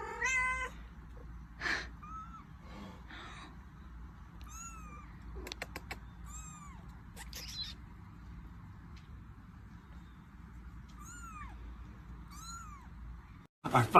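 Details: Thin, high-pitched cat mews, each one arching up and then falling, spaced irregularly every second or two over a quiet hiss, with a few clicks and a loud bump at the very end.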